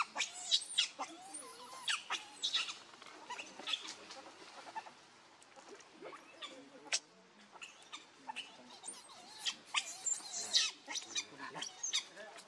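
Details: Hungry baby monkey Leo crying to beg milk from its mother: thin high squeaks and short wavering whines in bursts, with a few sharp clicks and faint voices behind.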